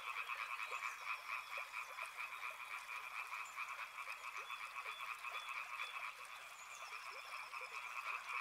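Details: A river-side frog chorus: many frogs croaking together in a continuous throbbing mass of pulsed calls, with occasional thin whistled notes rising over the steady wash.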